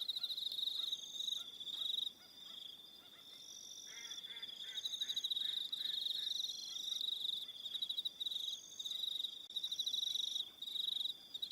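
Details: A high, shimmering cricket chorus on an evening on Aroha Island, New Zealand, dipping briefly around two seconds, with a burst of lower rapid chirps in the middle of the recording.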